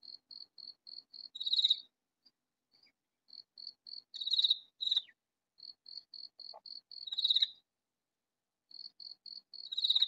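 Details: Rows of soft, regular ticks build into four loud, grating bursts nearly three seconds apart as a hidden katydid calls in a vegetable garden.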